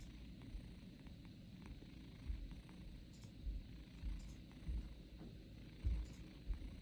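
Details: A cat snoring: a steady low rumble with soft, deep pulses swelling roughly every second, plus a few faint clicks high above.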